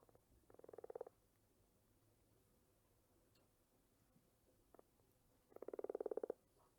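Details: Frog croaking in two rapid, pulsed bursts, each under a second long and made of fast clicking pulses at a mid pitch, separated by a quiet stretch with a few faint clicks.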